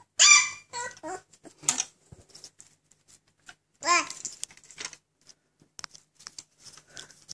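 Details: Alaskan Malamute puppies just waking up indoors: shrill, wavering squeals and yelps in two short bursts, one at the start and another about four seconds later, separated by soft rustling and scratching.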